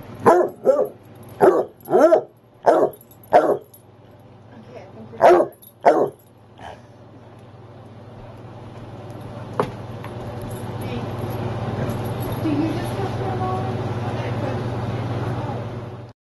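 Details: Basset hound barking because it is time for his nightly walk: about eight sharp, loud barks in the first six seconds, irregularly spaced, then quiet with a steady low hum in the background.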